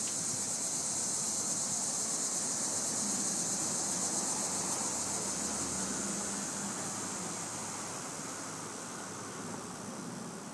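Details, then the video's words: Cicadas in a tree give a continuous, high-pitched electric buzz that holds steady throughout. "Buzzing Cicadas"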